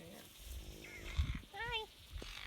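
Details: A captive caracal, seen on a guided feeding visit, gives a brief wavering, yowling snarl with a harsh hissy burst, amid murmured human speech.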